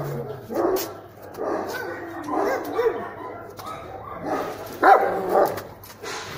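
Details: A German Shepherd barks in bursts during a guard test, producing irregular rough barks with a person talking faintly in the background.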